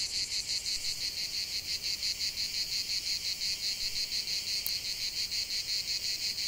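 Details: Continuous shrill buzzing of cicadas outdoors, rhythmically pulsing close to three beats per second, with one brief faint click partway through.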